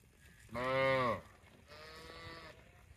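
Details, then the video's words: A cow gives one short, loud moo with a slight downward bend, then a fainter, flatter, more distant moo follows over a quiet background. "Funny cow sound video"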